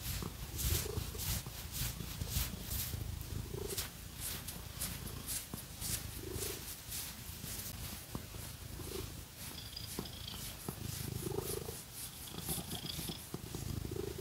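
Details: Pet cat purring steadily as it is scratched with fake nails; a continuous low, throbbing rumble with soft rising hums every couple of seconds, overlaid by crisp, rapid scratching of nails through fur.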